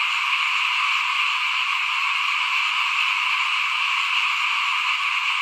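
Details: Chorus of frogs outside a house during rice sowing, 2021; countless callers blend into one continuous, high, rattling hum with no gaps or single standout voice.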